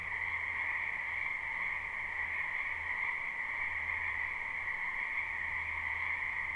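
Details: Spring frog chorus from a wetland behind a house, recorded live without looping: a continuous dense trilling wall of overlapping calls in two steady bands, with a faint low intermittent hum beneath.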